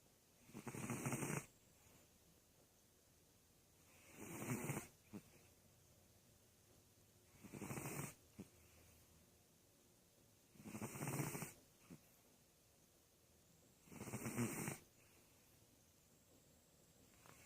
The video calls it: Karl my sphynx cat snoring